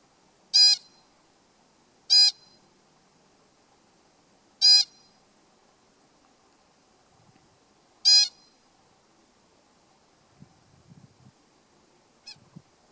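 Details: An American pika on Sourdough Mountain, North Cascades National Park, in August during territory occupancy surveys, calls at its neighbours with four sharp, nasal 'eek' squeaks, spaced irregularly.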